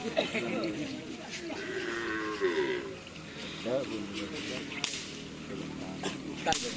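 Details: Karapan Sapi cattle, white, from Sapudi Island: a drawn-out harmonic moo rises and holds for about two seconds, followed by a shorter bending call, with people talking in the background.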